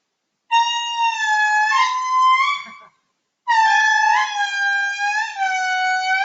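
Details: Wild indri in Madagascar, heard as if standing right underneath it: two long, loud wailing notes with rich overtones that waver and slide in pitch, separated by a short silence.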